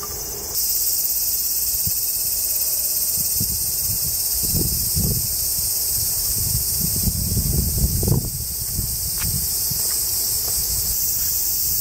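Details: Japanese cicadas keep up a steady, high, shimmering buzz on a summer morning in woods beneath the Yoro Mountains, Japan, on the Tokai Nature Trail, while a hiker's footsteps crunch and rustle below.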